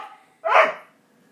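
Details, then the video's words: Single abrupt bark from a Border Collie that reacts to hearing "yo mama", preceded by faint speech and followed by quiet, indoors. "Border collie hates it when you say yo mama!"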